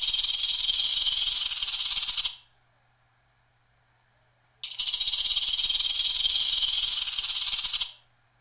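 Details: Rattlesnake rattling: two sustained, dense, hissing buzzes of about two and three seconds, separated by two seconds of silence.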